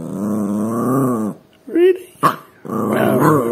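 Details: Yorkshire Terrier, a female pet, talking to her owner to ask him to pick up her bone: a low, growly, drawn-out grumble, a short high yip, then another grumbling burst, with a person speaking nearby.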